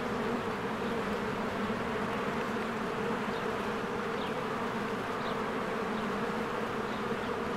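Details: Bees swarm in and out of their hive in spring among blooming flowers, giving a dense, steady low buzzing hum with a continuous drone and no pauses; faint short bird chirps sound high above.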